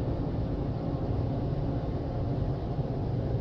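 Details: A dense, steady low rumble of machinery or a car wash fills the whole stretch, with no animal voice heard.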